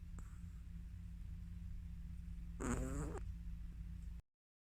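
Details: Chihuahua dog snoring in deep sleep gives one rasping, fluttering snore of about half a second, set against a continuous low-pitched hum that then cuts to silence.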